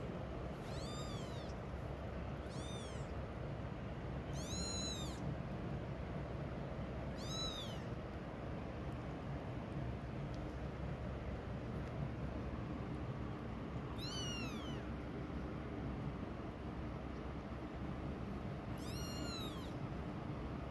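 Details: Mama cat away from her hidden kittens utters six short, high, bright meows spaced irregularly, several seconds apart with a long quiet gap in the middle, above a steady low background rumble.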